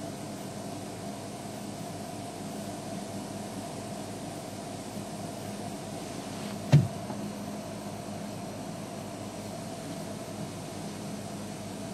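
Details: Steady low hiss and hum from a live wildlife stream at Djuma, with one sharp brief knock partway through and no animal voice.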